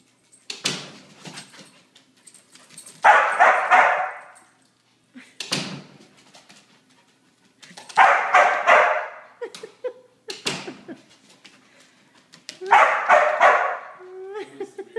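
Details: Border Collie after three days of rain, barking in regular clusters of two or three loud barks every few seconds, with brief whimpery tones after the later barks and clicking sounds between bursts, indoors.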